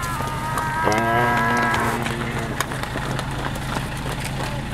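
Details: Cattle attacking, recorded 13 June 2013: one drawn-out, droning moo of about a second that slides slightly downward, heard over loud background music and a steady low hum.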